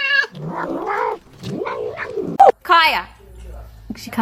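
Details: Pet cat from a compilation of funny cats, producing several wavering, whiny meows that rise and then fall, one ending in a sharp upward sweep. Human voices overlap the calls.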